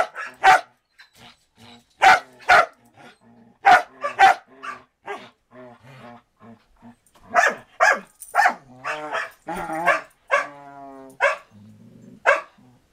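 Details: Play session between a Samoyed and a Border Collie in 2014, one dog recovering from back surgery: sharp single barks at irregular intervals, then a denser burst of yips and a drawn whine near the end.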